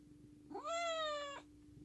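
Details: Bani, a cuddly house cat, gives a single clear meow lasting under a second, bright and harmonic, rising briefly and then holding steady before cutting off, over a faint indoor hum.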